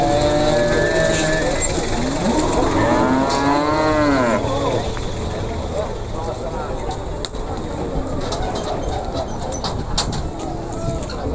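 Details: Several bending, rising-and-falling moos from Simmental cattle at the Pasar Pon market, Ambarawa, crowd the first four seconds, followed by only busy market chatter and background noise.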